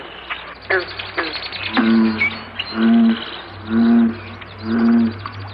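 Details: American Bullfrog advertisement call, with green frogs calling at the start: four deep, droning jug-o-rum notes about one second apart, preceded by scattered higher clicks and chirps, over a low steady hum.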